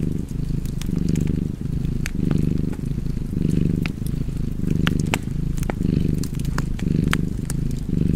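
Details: Contented domestic cat purring near an open fire: a low, buzzing rumble pulsing in even breath-paced waves about every second, punctuated by bright wood crackles.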